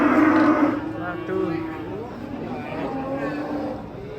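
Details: Masked cattle unloading from a truck and described as wildly agitated; a loud, low tonal moo opens, then softer lowing fades under men's excited voices.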